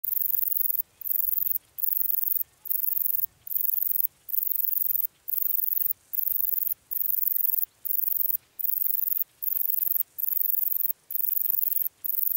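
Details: Bicolour meadow bush-cricket (Bicolorana bicolor) singing at Breitenbrunn, Austria, on 13 July 2020: very high, hissing buzzy bursts of about half a second each, separated by short regular gaps, repeated steadily throughout.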